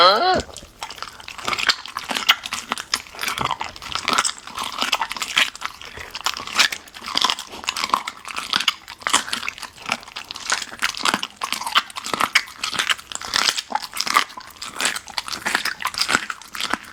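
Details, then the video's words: Golden Retriever VC eats raw meat, including ostrich heart for the first time, in a small room; a short human voice opens, then steady crackling bites and moist chewing run without pause. "生骨肉 金毛 沉浸式 狗狗吃饭"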